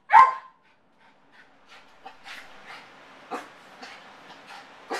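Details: Yorkshire terrier named Motley, left alone at home and showing separation anxiety, gives one loud sharp yelp, then a run of softer, short, scattered yips and whimpers at uneven gaps, indoors.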